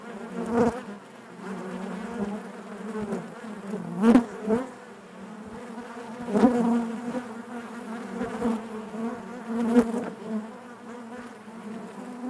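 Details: Massed buzzing of honey bees within the hive, a constant humming drone broken by brief loud whirs of bees flying close by, near four, six and ten seconds.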